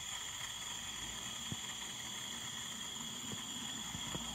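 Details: Soft steady hiss with a high electrical whine and a few faint crackles, like a fire, with no animal call.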